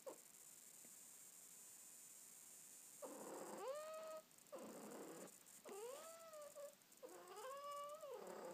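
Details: Cat burrowed beneath a blanket producing a string of four drawn-out meows, each rising then leveling, spaced about a second apart after a quiet opening.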